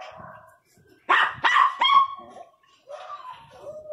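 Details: Miniature Pinscher barking angrily: three sharp, loud barks in quick succession near the middle, followed by a softer whining tone trailing off; quiet whimpering before the barks.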